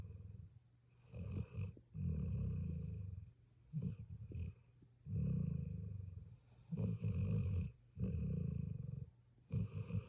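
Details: Puppy asleep and snoring: long, low, rattling breaths lasting one to two seconds each, separated by short quiet gaps, rough and buzzy in tone.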